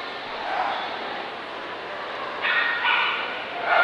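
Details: At the Dobermann Dog Challenge in Belfast, 2012, a Dobermann gives a pair of sharp, ringing barks in quick succession, then a third starts, all over a constant background of crowd voices.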